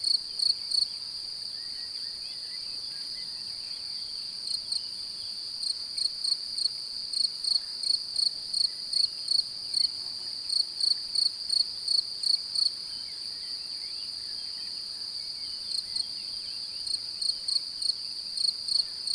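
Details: Male cricket singing in search of a mate, a female appearing interested, sound made by rubbing the forewings. Bright high chirps arrive in irregular runs with short pauses, over a steady continuous high-pitched trill.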